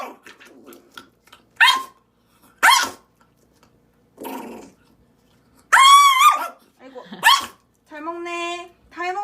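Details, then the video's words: Small pet dog that bites and barks, held in someone's arms while being given bitter medicine by syringe; short yelping bursts and a rising, harmonic whine near the middle, with a clear whimpering cry at the end and a person talking softly. "입질 심한 강아지"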